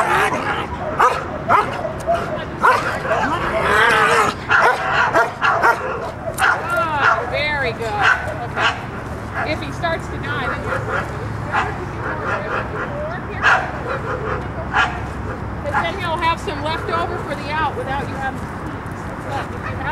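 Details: Dog Mako works the bark after the out in protection training, giving rapid barks around two per second that grow looser toward the end, under continual spoken instructions from trainers.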